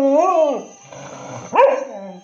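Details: A pet cocker spaniel in Hosur 'sings' a lonely song in drawn-out, wavering howls that rise and then sag in pitch.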